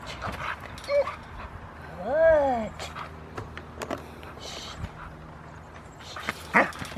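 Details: Rottweiler named Foofy, female, starting protection training at the Victoria Rottweiler Club on August 2, 2020, gives one harmonic arched whine near two seconds amid scattered clicks, footsteps and outdoor background noise.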